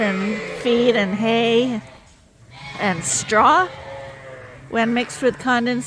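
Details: A mixed group of Suffolk lambs in a barn at Ewetopia Farms, loose after a gate was left open. A long wavering bleat, a short quiet gap, then several sharper, shakier bleats from other lambs.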